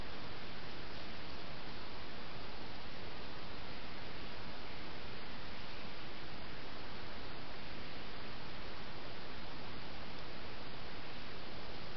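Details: Only steady, dense broadband hiss fills the recording, with no animal sound heard.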